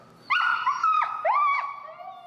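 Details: Finn, a very vocal dog being trained to come when called using an e-collar, lets out two loud, sliding whimpers, each rising then dipping, after a quiet start, trailing into a softer fading whine.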